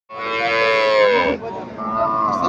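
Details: A cow at a weekly cattle market in Comilla, Bangladesh, where cows are being sold cheaply because of floods; one long, loud, harmonic moo that holds steady then drops, followed by a shorter second call and a man's voice.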